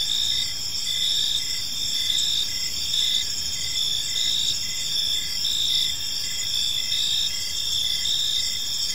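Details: Park crickets at evening keep up an unbroken shrill chorus, short rhythmic chirps repeating about once per second above steady layered trills and quiet low ambient noise.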